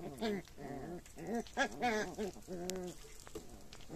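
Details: Red male Shiba Inu puppies at day 46 whimper and squeal in a quick run of short, wavering, harmonic whines, several per second, with a sharp click near the end.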